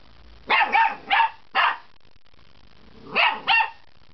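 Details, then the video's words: Puppy named Waffles barking for some of the first times: four quick high-pitched yaps in a rapid run, a pause, then two more shrill barks, with nothing else audible. "My Pup's first barks!"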